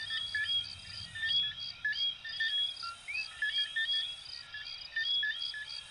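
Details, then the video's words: Chorus of coquí frogs, Venezuela and Puerto Rico: brisk overlapping chirps and a few rising two-part notes, rapidly repeated, layered over a constant shrill insect hum and faint low background murmur. "Sonidos de Ranitas de Venezuela 🇻🇪 y Puerto Rico 🇵🇷 "Coquí""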